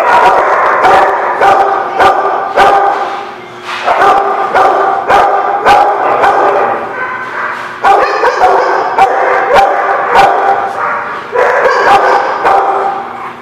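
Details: Dogs barking in a dense, overlapping chorus recorded 4/7/17: sharp, punchy barks and higher yips come in quick irregular bursts, roughly 105 per minute, over a steady whining din, with a brief lull near four seconds.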